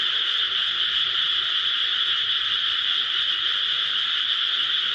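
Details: Frogs in rice paddies close to home form a continuous, even chorus of high trilling voices blended into one steady wall of sound.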